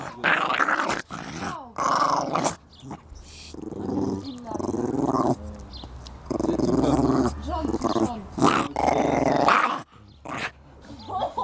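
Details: Coton de Tulear dog in a garden, giving rough, broadband growling bursts of one to two seconds separated by short pauses, with a person's voice heard faintly at times.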